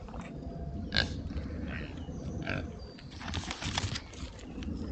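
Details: Rare-breed Oxford Sandy and Black pigs in woodland on a trail camera. A few brief high squeaks stand out over constant low rustling and rooting noise, followed by a scraping burst near the end.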